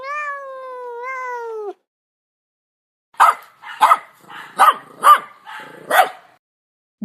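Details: Dog barking in a quick run of five short, harsh, broadband barks about half a second apart, preceded by a drawn-out, wavering tonal meow-like cry and a brief pause of silence.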